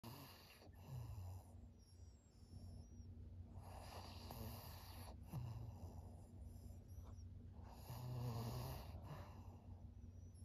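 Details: Maria, a thirteen-year-old fawn female pug from Japan, snores in rough low rasps, each breath a throaty rumbling snort with short quiet gaps, irregular rhythm, breathing noise throughout.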